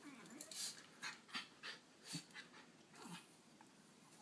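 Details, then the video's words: Six-year-old miniature schnauzer Ruthie defends the dog bed from 10-month-old schnauzer puppy Jackson. Short low growls and panting breaths come in pulses about every half second, mixed with quick rustling taps from the struggle. "Schnauzers Battling Over Dog Bed"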